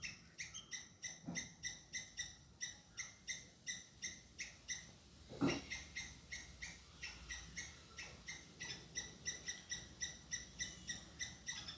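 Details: Hidden-camera recording of a squirrel scolding a pursuing cat: a long run of short, bright chips at roughly three per second, briefly interrupted by a dull thump near the middle before the calling resumes.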